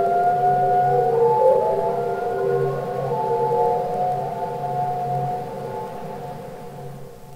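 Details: Long, overlapping tonal moans of singing humpback whales, recorded underwater for Capitol Records ST-620, gliding gently up and down before fading out slowly.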